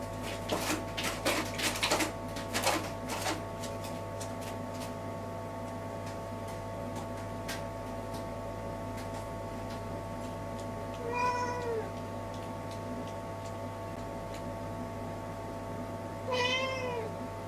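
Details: Cat pacing busily back and forth in front of a toilet gives two drawn-out, wavering meows late on, after a stretch of clicking and tapping at the start, over a steady low indoor hum.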